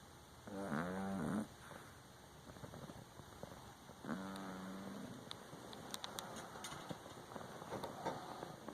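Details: An Exotic Shorthair cat snores in its sleep: two buzzy, vibrating breaths about three seconds apart, followed by soft ticking and rustling sounds against a quiet indoor background.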